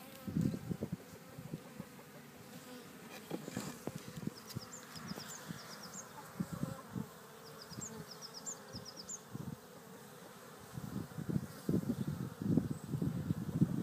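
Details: Garden bees at Cretingham in Suffolk hum in a low, continuous drone that swells into louder buzzing passes near the end. Small high-pitched bird chirps come in the middle.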